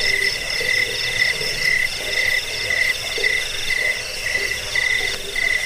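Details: Jangkrik, a cricket, chirping for rat repelling, sleep and bird tutoring; short bright chirps roughly twice per second over a shimmering high-pitched insect chorus.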